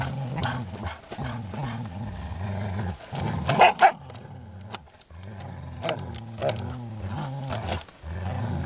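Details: Low, sustained growling from Groenendael dogs resource guarding in play, wavering in pitch, with a sudden louder snarling outburst around three and a half seconds, a short silent gap, then steady growls again.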